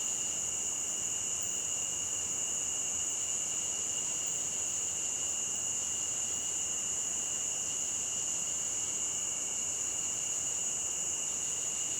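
Crickets sing in a steady, high, unbroken chorus over the hiss of running water.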